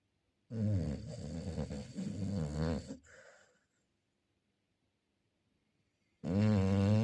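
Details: Loud guttural snoring from a Chow Chow: a sustained, rattling snore of about two and a half seconds fading into a softer breath, a quiet gap, then another deep snore beginning.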